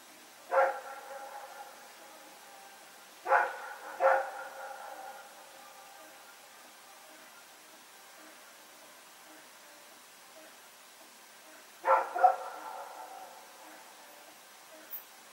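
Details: Dog named Rex running around with a companion dog at night, recorded on 21 September 2018, in Pyrga: four sharp barks, a single one, then a quick pair, then another, separated by long quiet gaps against a faint hum.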